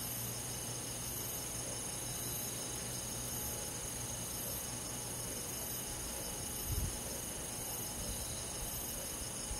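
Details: Summer-night insect chorus with crickets: continuous high, ringing drone in several stacked tones, with a low hum underneath and a brief dull thump near the end.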